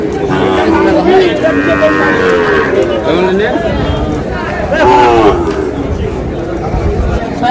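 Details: Sahiwal bull calves at a cattle market where a Dhaka farmer is buying, 8 July. Loud tonal moos, one long low call and a higher bellow near the end, sound over men bargaining and background chatter.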